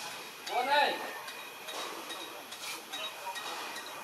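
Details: A stray kitten in Istanbul, wanting to play, gives one short arched meow that rises then falls, followed by a quiet stretch of low hum and faint clinks.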